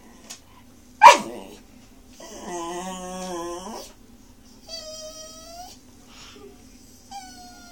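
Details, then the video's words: Pet Miniature Schnauzer puppy howling to beg for broccoli at dinner indoors: a sharp yap, then a sustained harmonic howl of about 1.5 seconds, followed by shorter, higher whining howls, with a faint hum in the room. "Miniature Schnauzer Puppy Howling"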